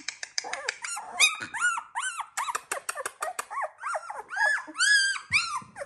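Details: Sixteen-day-old Labrador Retriever puppies of the Z2 litter crying together: a dense, overlapping chorus of high squealing whines and yelps, about two per second, with no real pause.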